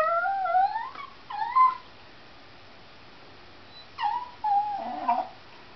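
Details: Dog whining hysterically over a cat outside: two rising-then-falling whines, followed by a pause of two seconds and a cluster of shorter, wavering whimpers ending in a grumbly note, in a quiet indoor space.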